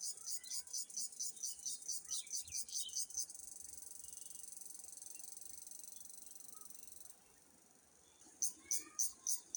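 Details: Cricket calling with rapid, high-pitched pulsed chirps, then a steady unbroken trill lasting about four seconds, a short pause, and the quick chirping pulses returning; faint low murmurs in the background.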